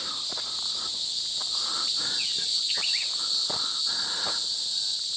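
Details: In the evening on a trail in Charon's Garden Wilderness, Wichita Mountains National Wildlife Refuge, a dense cricket chorus keeps up a steady high shimmering trill, with faint painted bunting and other bird notes and soft footsteps beneath.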